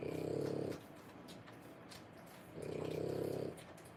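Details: French Bulldog puppies at three weeks old, born 1/10/25, during whelping: two rough, buzzing breaths under a second long, spaced roughly two seconds apart, with faint room hiss between.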